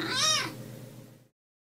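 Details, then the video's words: One brief domestic cat meow for attracting cats, lasting under half a second, bright and arched in pitch, then fading into a low hum and silence. "Meows to ATTRACT CATS 🐱🔊 (Sounds to Make Your Cat to Come to You)"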